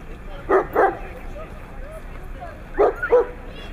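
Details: Siberian Husky in Nizhny Novgorod, 3 February 2017, giving two pairs of short, harmonic, yelping calls, the first pair near the start and the second about two seconds later, over a steady low background hum.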